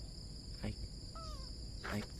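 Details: Kitten KiKii sitting on a blue plastic chair gives one short, tonal meow that slides gently downward, set against a constant high cricket chorus, with brief knocks just before and after.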